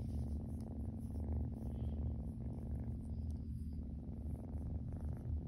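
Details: Kitten purring loudly while lying on its back for belly rubs, a steady deep rumbling purr that runs without pause through the whole stretch, with faint soft rustles above it.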